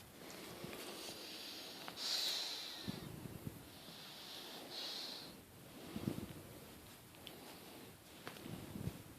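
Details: Fonseca the pug snoring while asleep indoors: irregular hissing, snorting breaths with rough low rumbling pulses, a few seconds apart, in a quiet room.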